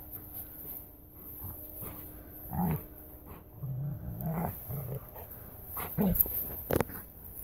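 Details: Two playing bloodhounds, an older brother and his younger sister, give low, rumbling growls and grumbles in short bursts, with a brief yelp near the end.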